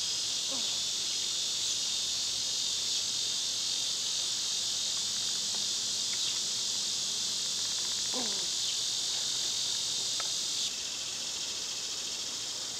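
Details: Summer cicada chorus, a loud continuous shrill hiss that runs unbroken for most of the stretch, then drops slightly in volume near the end, with a few faint bird notes underneath.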